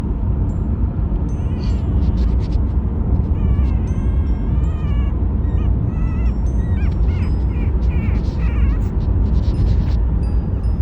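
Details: Chihuahua puppy on the day it was brought home, riding in a car on the way home and whining because it wants to be held; wavering high whimpers in short bursts over steady engine rumble and chiming music notes.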